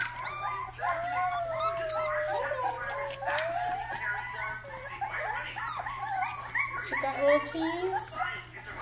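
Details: Rottweiler puppy making its first barking attempts: a long, wavering high whine followed by short arched yelps, with a person's voice in the background.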